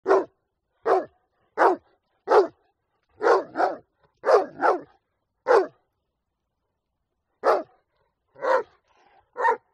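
A Rottweiler barks in loud, deep single woofs and quick doubles, spaced about a second apart.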